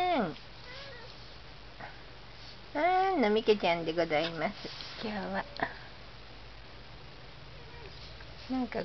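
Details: Cat talking to itself. A quick run of wavering, bending meows and squeaky chirps strung closely together, with quieter gaps before and after.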